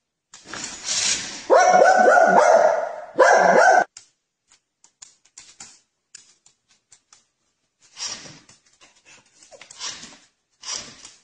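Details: Domestic dog from a humorous compilation giving two drawn-out, tonal yowling barks close together near the start, followed by quiet scattered taps and brief rustles, with a few short noisy bursts later on.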